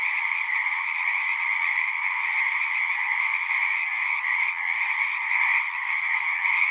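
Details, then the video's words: Chorus of singing frogs, a dense, unbroken wall of overlapping trills with a bright high band and a lower second band, steady in loudness throughout, with no other sounds standing out. "One hour of singing frogs."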